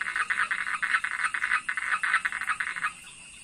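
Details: Frog chorus by a fishpond behind a house, a fast run of rasping croaks pulsing several times a second for about three seconds before fading, over a steady high-pitched background drone.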